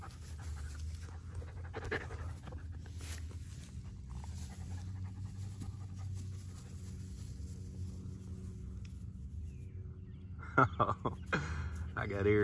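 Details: Dog panting as Erie, a Great Pyrenees/Border Collie mix on a week's stay, meets Hannah, a Yellow Labrador Retriever; soft, breathy panting over a low outdoor rumble, with a few sharp knocks and clatter near the end.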